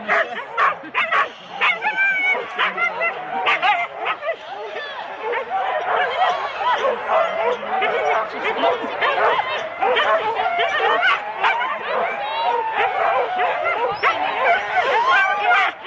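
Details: Many Huskies harnessed in four-dog teams at the start, Rendlesham, January 2016, captured on analogue tape; a continuous, chaotic wall of barking, yelping and whining, with human voices blended underneath.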